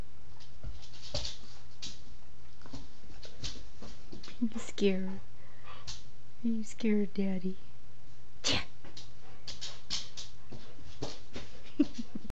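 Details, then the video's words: Boo, a Standard Schnoodle (Schnauzer/Poodle mix), gives short, tonal, harmonic vocal bursts in two clusters, one brief and then three or four in quick succession, over steady low hum and scattered clicks and knocks in a small room. "Boo barking"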